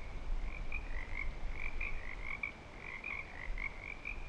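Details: Breeding-season frog chorus at Clearwater Commons, rapid overlapping croaks forming a steady bright band, individual notes bursting out several times a second, with low rumbling background noise.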